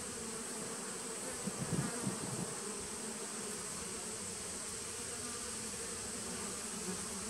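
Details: Humming honey bee nuc colony from 2017, recorded September 19, 2018: an even buzzing drone, briefly louder with a few quick pulses early on, then steady, with a thin high hiss throughout.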